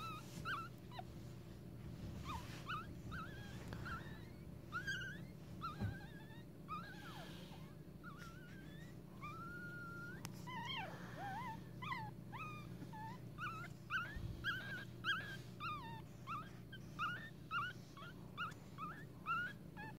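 A litter of newborn Pekingese puppies fills the air with thin, high squeaks, each peep bending up or down, overlapping in a steady chatter. A low background hum runs underneath throughout.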